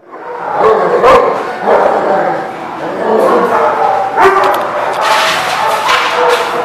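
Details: Dogs barking in short, sharp bursts every second or two, some higher and yelping, mixed with people talking in the background.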